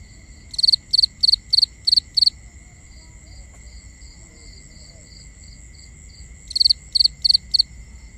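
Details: Night-time binaural ambience of crickets: a burst of six bright triple-pulsed chirps, a pause filled by softer distant chirping, then four more loud chirps, over a constant high faint whine.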